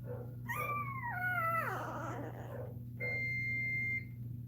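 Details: During Cashmere's labour, another Cane Corso gives one long whining cry that steps down in pitch and fades, followed by a sustained electronic beep, with a constant low hum beneath.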